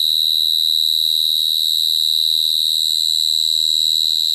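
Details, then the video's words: Singing cricket giving a sustained piercing trill at a constant pitch and loudness, with soft low rumbling beneath. "Cricket sound effect(cricket sound)"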